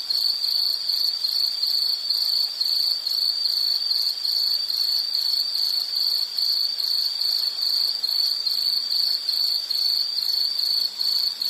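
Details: Insect in a nature soundscape: a continuous, very high-pitched pulsed trill, steady and unbroken, with fine rapid pulses at roughly two and a half per second and fainter high overtones above. No other clear sounds.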